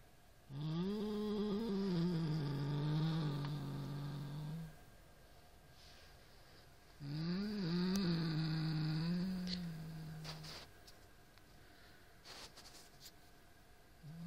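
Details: Siamese cat named Norrington confronting a toy rat with drawn-out, low growls that rise and dip slightly in pitch, two main bouts of about four seconds, followed by faint trailing rumbles and small clicks.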